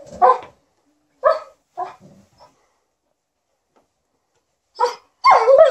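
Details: Alaskan Malamute and Golden Retriever "talking" indoors while their owner irons: a few short yappy barks spaced apart, a quiet pause, then two more louder barks and a whining yelp.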